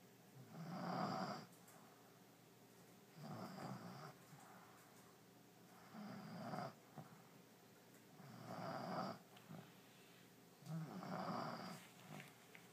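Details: Sleeping pet French Bulldog Allie, totally zonked in her new bed, snores in a steady cycle: five raspy, rumbling breaths spaced about two to three seconds apart in a quiet room.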